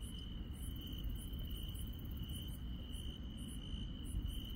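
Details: Rural night insect chorus, with a continuous shrill trill held at one pitch and brief very high chirps repeating in quick bursts, all over a dull low hum.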